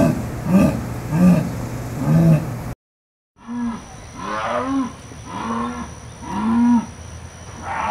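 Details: Jaguar calling with a series of deep, hoarse grunts, each rising then falling, repeated roughly every second and a half, with a short silent gap partway through and a steady faint high hum behind.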